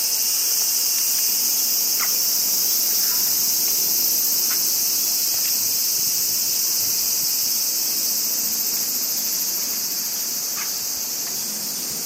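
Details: Crickets in Japan in summer: a dense, steady, high-pitched chirring chorus runs without a break. A few brief, faint chirps sound lower down, and the level fades slightly toward the end.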